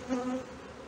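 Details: Honey bees at a hive in Brno, 2022, where a bitten-open inserted queen cell was found after the bees had opened their own earlier-hatched queen cell; steady low droning hum with a second, higher tone above it, swelling briefly early on.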